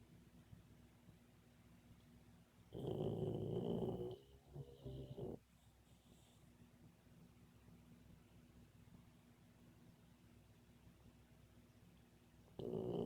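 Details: Dreaming Boxer puppy snoring in its sleep: two rasping, rattling snores close together, a long quiet pause of about seven seconds with soft background hum, then another harsh snore starting at the end.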